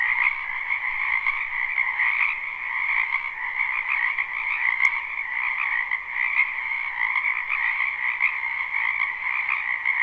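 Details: Crowd of frogs in a wetland behind a home in spring, recorded live: continuous layered croaking trills, densely overlapping, steady in loudness, with a single faint click midway and nothing else.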